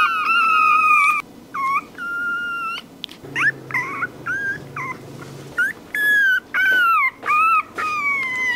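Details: Puppy crying with high whimpers, a series of tonal whines, some steady and some sliding or wavering, broken by short gaps; a faint low hum runs beneath the middle stretch.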